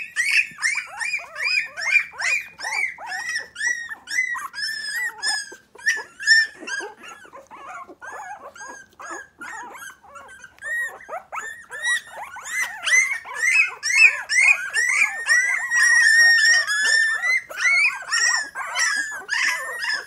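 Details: Litter of 3-week-old Miniature Pinscher puppies, three standard females and two chocolate males, indoors in their baby bed, nervous and newly alert; dense overlapping high squeaks and whines, rapid and continuous, several pups calling at once.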